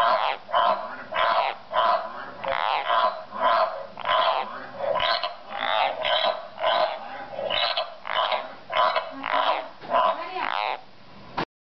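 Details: A pet frog suddenly starts croaking on its own while frog croaking videos play nearby, giving harsh, rasping croaks in a steady series, nearly two each second.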